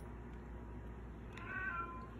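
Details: A domestic cat named Baby Girl pesters for food with one drawn-out, steady-pitched meow lasting under a second, rich in harmonics, heard over a faint constant household hum.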